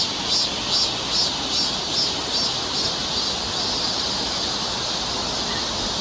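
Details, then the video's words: High, hissing cicada song in a summer forest in Seoul, Korea: evenly spaced pulses about two or three per second at first, then merging into a steady buzz, over a constant rushing background. "cicada sound"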